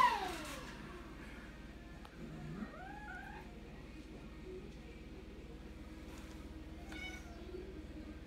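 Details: Male British Longhair cat, an attention-seeking house pet, gives a short rising-then-falling meow, followed by a fainter second mew, over a steady low hum in an indoor room.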